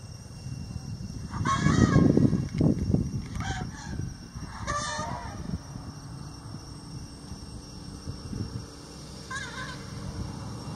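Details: Two young wild Asian elephants in an open field at Khao Yai in winter, playing or possibly really fighting, give brief, brassy squealing trumpets over low, rumbling roars.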